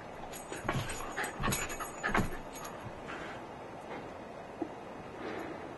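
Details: Dog jumping repeatedly to see who is on the bed, giving several short, breathy whimpers and yips in the first seconds over a steady background hiss, then quieter.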